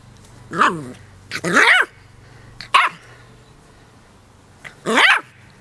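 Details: Charlie, a 10-week-old Keeshond puppy, battling a dandelion in play: four sharp, yelping barks with rising-falling tone, spaced irregularly over several seconds, against quiet background.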